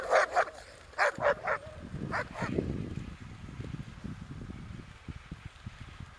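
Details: Alaskan malamute sled dogs on an Arctic dog-sledding expedition: a quick series of sharp barks in the first second and a half, then two more yaps, fading into steady low rumble and scraping noise.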